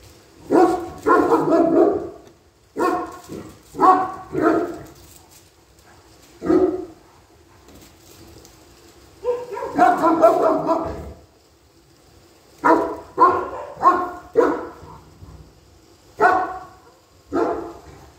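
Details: German Shepherd guarding, giving bursts of deep, loud barks in quick clusters of two to four, separated by short pauses, over about eighteen seconds with a quiet background.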